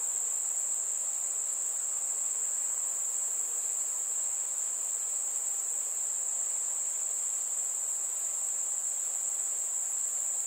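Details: Chirping crickets on a warm summer night among fireflies: a sustained shrill trill at a single high pitch, steady from start to finish, over a quiet background.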